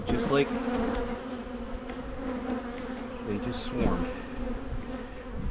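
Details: Honey bees buzz during hive splitting by a Michigan beekeeper to head off swarming; an even, low continuous drone with a few short spoken words over it.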